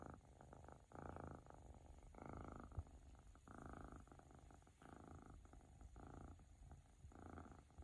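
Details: A young male flame-point Siberian cat purrs, or perhaps snores, in a low, steady rumble that swells and fades with each breath.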